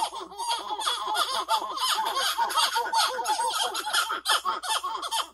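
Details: Territorial calling of the masked titi monkey, used to warn off rival males of the same species: fast, tumbling series of short falling notes repeated several times a second, loud and overlapping, with a busy high background.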